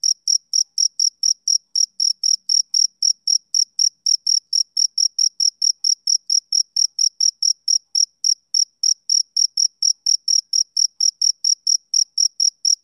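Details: Steady rhythmic chirping from a male cricket on a summer evening: uniform high pulses about twice a second, unbroken throughout, in clean quiet surroundings.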